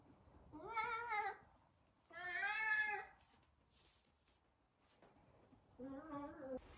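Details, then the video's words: Three separate meows from Sabian, a chatty Savannah cat trying to find Sabina; each call is long and tonal, the last lower and wavering, spaced a couple of seconds apart indoors. "Talkative Savannah cat!!!"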